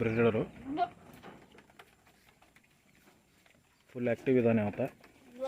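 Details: On a farm, Tellicherry goats give a brief quavering bleat, then a few seconds of quiet, then a longer wavering bleat.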